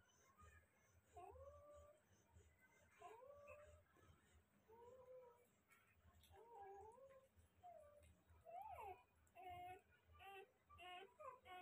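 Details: Newborn Rottweiler puppies give thin, rising-and-falling squeals and whines, repeated in uneven bursts.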